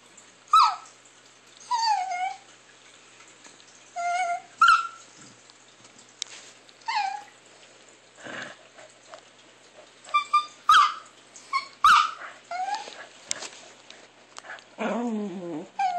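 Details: Chihuahua called Alexa producing weird noises, a series of short yelping whines and high downward-sliding squeaks scattered over the recording, some closely bunched, with quiet pauses between bursts.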